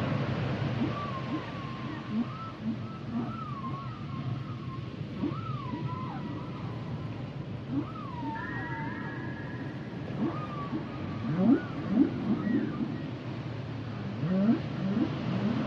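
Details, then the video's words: Song of humpback whales: wavering whistled phrases that rise and dip in loops, followed by brief chirps and upsweeps, repeated irregularly against a continuous low underwater hiss. "Sounds and Songs Of The Humpback Whales"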